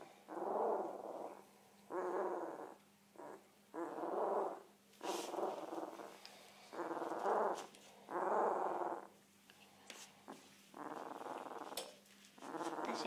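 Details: Week-old Komondor pup making repeated low, rough whimpering grunts in separate bursts, some longer and drawn out, over a constant faint hum, with a few brief clicks between calls.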